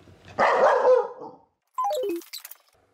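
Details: Corgi at the park: one loud, rough bark lasting under a second, followed after a pause by a quick descending run of clear, squeaky tones.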